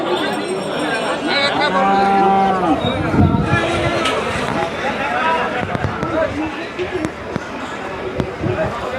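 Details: Cattle at the Kaharole cattle market in northern Bangladesh: one low, drawn-out moo lasting about two seconds rises above a busy crowd of people talking and general market bustle.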